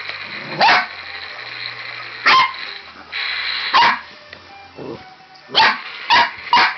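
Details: Red merle tricolor Border Collie puppy playing with a robot dinosaur toy, giving sharp, bright barks and yips in irregular bursts, about seven across the stretch, with faint electronic toy tones and low hum between them.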